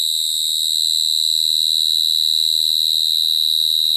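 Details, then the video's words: Cricket song as a continuous shrill, high trill, even and unchanging, with faint low thumps in the background. "Cricket sound effect(cricket sound)"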